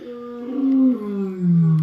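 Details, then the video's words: At a wildlife park on a hot, sunny 11 April 2020, a lion roaring while lying down gives a deep, resonant roar that swells and then sinks lower in pitch. "that's the lions you can hear."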